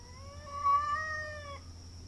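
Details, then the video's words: Cat fight in a front yard: one loud, drawn-out caterwaul lasting about a second and a half, rising slightly then holding a tense, wavering pitch before cutting off abruptly, with a faint low hum and a steady high whine behind. "Cat Fight in Front Yard"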